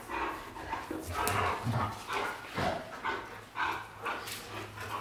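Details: James Bond and Luna, white Golden Retrievers, making quick gruff yaps and whimpering growls about twice a second, uneven and busy, over a noisy indoor background.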